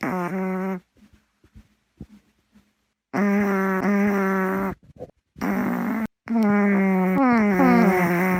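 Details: Snoring from Gaeborin, a female Boston Terrier asleep indoors. Long, buzzy, tonal snores with a whistling pitch swing in and out. They run back to back with short silent gaps, and the final one slides downward.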